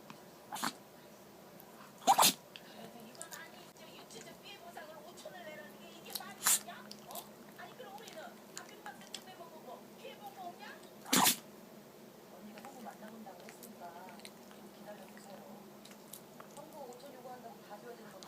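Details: Chihuahua Pon-chan sneezing again and again indoors after pressing its nose into the carpet and sniffing, apparently getting something fine up its nose; three sharp, explosive sneezes near 2, 6.5 and 11 seconds, with smaller snuffles and faint background murmur.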